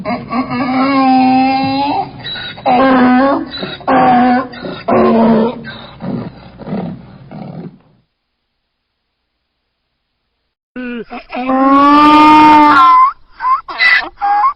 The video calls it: funny donkey sounds